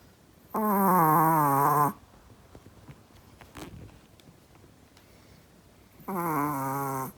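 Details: A Chihuahua in deep sleep snores nearly as loudly as a person. Two drawn-out, buzzy, wavering snores, about 1.4 and 1 second long, are separated by roughly four seconds of quiet breathing in a small indoor room.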